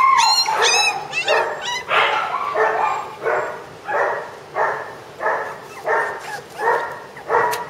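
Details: Young Shiba Inu puppy of expected mame-shiba size whimpering in a steady series. It opens with several sharp, squeaky yips, then settles into repeated nasal whines about every two-thirds of a second, each a short rising-falling cry.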